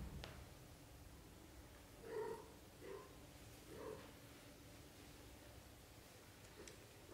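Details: A litter of British shorthair kittens, up to thirty days old, makes three short mews under a second apart, steady and fairly soft, against a quiet indoor background with a few clicks.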